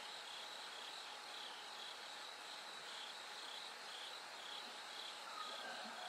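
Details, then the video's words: Bell crickets calling through the night toward daybreak, their high, rapidly pulsed ringing song repeating steadily over a dense wash of insect noise, with a faint steady hum below. "bell cricket Cry of falling insects"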